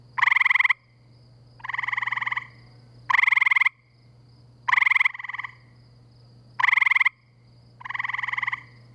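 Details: Spring night chorus of gray treefrogs out by a pool in Framingham, MA: short, harsh, pulsed trills, each about half a second, from two or more frogs taking turns roughly every one and a half seconds over a constant low hum.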